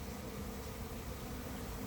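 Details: A late-season honey bee swarm moves into an empty, unprepared hive with its entrance wide open. The clip holds a steady low droning hum with faint tonal bands and no other clear sounds.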